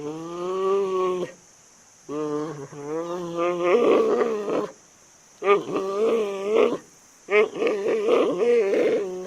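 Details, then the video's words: Giant panda giving drawn-out, nasal, harmonic bleating calls in four bursts of about one to two seconds. The calls waver and grow rougher and louder toward the end, with short silences between them. "Panda Sound | Panda Sound Effect"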